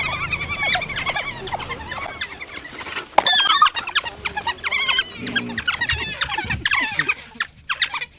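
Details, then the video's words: African wild dogs (painted dogs, Lycaon pictus) give rapid, high-pitched squeaky twitters, several voices overlapping in a busy chorus. "African wild dog sounds, painted dog"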